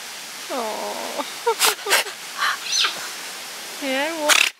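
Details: Giant otters at Chestnut Centre, Chapel-en-le-Frith, a captive family of six with two cubs born there, 25 June 2011. Two short, rich, arching tonal calls rise then fall, one early and one near the end, separated by sharp bursts of noise and murmured talk.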